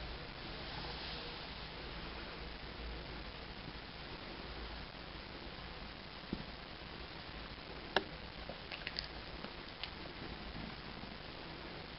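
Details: Quiet indoor room hum with a few faint clicks and taps near the end, no animal voice.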